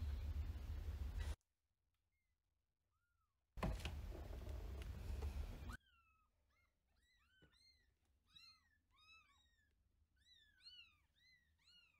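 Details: Month-old gray kitten from Paraguay, wild-blooded, indoors with an older cat that has come into its space; after a few mews amid low rumbling noise, rapid strings of high arched cries repeat several times a second, insistent and continuous.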